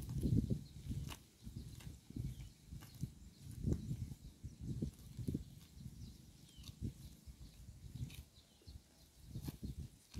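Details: Close-up of a cow eating grass by the road. Steady, rhythmic low crunching and mastication bursts come roughly every half second, with occasional sharper snaps from torn grass.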